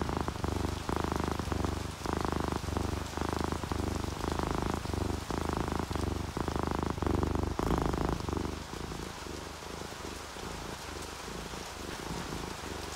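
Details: Domestic cat purring while relaxed and sleepy, alongside an orange tabby and a calico; low rumbling purr in steady pulses about twice a second, fading slightly in the last seconds, over soft continuous rain.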